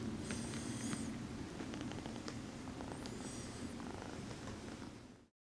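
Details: Exotic Shorthair kitten returning affection by massaging her human, giving a loud even purr that pulses rapidly, with two brief high squeaks overhead before fading out.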